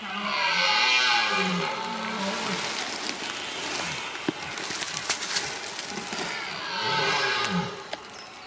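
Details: Red deer stag bellowing during the rut in Sologne, roaming free in an unfenced, remote area, filmed on approach with a small camcorder: two deep, harmonic roars, one lasting about two and a half seconds, a shorter one near the end, with rustling between.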